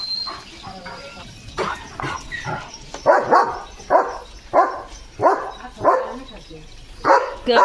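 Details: Guard-dog German Shepherd barking at passing sheep in front of the house gate while running and dancing; a steady run of loud barks about every half second to second, mixed with a man's Marathi speech.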